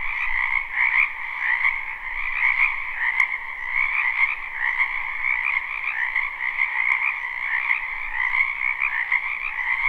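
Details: A live, unlooped recording of frogs croaking in a spring wetland: many callers blend into a constant trilling chorus, with louder swells roughly every second or two and two faint clicks partway through.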